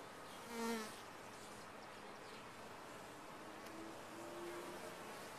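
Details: Honey bees in a top-bar hive: a loud, low buzz swells and fades within the first second as a bee passes close, then a steady, soft droning hum continues, with faint higher buzzing tones returning near the end.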